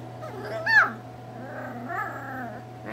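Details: Miniature Schnauzer puppies, described as always hungry, indoors: one sharp, high, whiny whimper sweeping downward, then a softer, wavering second whine about a second later, over a steady low electrical hum.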